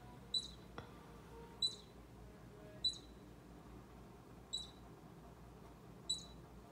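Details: High, clipped chirping squeaks, five in a row roughly every 1.2 to 1.5 seconds, from a baby squirrel that Bushy the orange cat gets very close to; a faint click early on.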